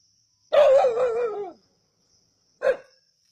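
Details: Native dogs hunting a snake at Keezhadi: one long, harsh, drawn-out bark lasting about a second and sliding lower at its end, then a single short sharp bark after a pause; faint steady high hiss in the background.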